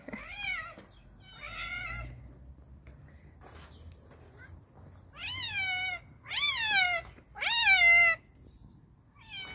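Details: Loud meowing from an excited stray cat as hungry strays wait for food: two steady meows, a pause, then three strong, rich, arching meows in quick succession, the last the loudest, against a faint low hum.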